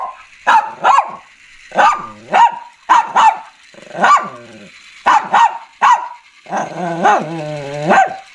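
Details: Shih Tzu barking and growling: paired sharp barks repeated about once a second, ending in a drawn-out whining growl, with a quiet background.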